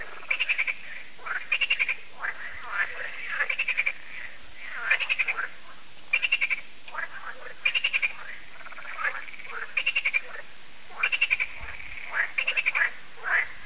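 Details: Frogs calling together on a French lake, Lac de Sabatte, in the evening when the solar lights come on: loud clattering croak trains burst out about once a second, many voices layered into a steady chorus.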